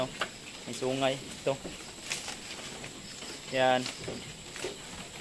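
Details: Two separate nasal goat bleats, each under half a second and a few seconds apart, recorded at Terra Grande Farms, San Carlos City, Negros Occidental, Philippines, with soft clicks and background farm noise between them.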